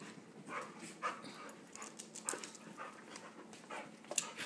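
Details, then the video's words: Husky puppy roughhousing with another dog, letting out sharp snorts, a few whimpery squeaks and light huffs spaced unevenly, faint sharp clicks from scuffling and a person's voice around it. "Husky pup loves to wrestle"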